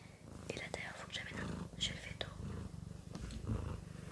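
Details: Domestic cat Sakura gives a fast pulsing low purr under close French whispering and light clicking mouth sounds.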